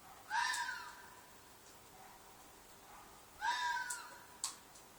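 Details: Red fox shrieking at night in a field behind an apartment, possibly a mating call: two loud hoarse screams about three seconds apart, each a harsh rising-then-falling wail with a raspy edge, plus a short click near the end.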